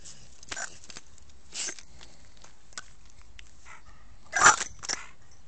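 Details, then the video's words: An American Staffordshire Terrier called Sam in a quiet room: a few soft huffs and clicks, then one sharp, loud bark-like burst near the end, followed by a smaller one. "American staffordshire terrier - SAM"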